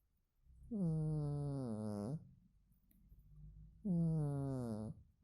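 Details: Sleeping domestic cat snoring indoors: two low, buzzy, droning snores, each lasting over a second with a slightly falling tone, separated by a quiet pause of about two seconds.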